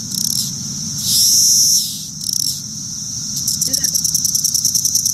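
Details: A straggler Brood XIII periodical cicada on a June evening, believed to be Cassin's (the listener also wonders whether it sounds like a Linnaeus cicada), gives shrill buzzes that stop and restart as if struggling to start, then a quick run of sharp, regular ticks.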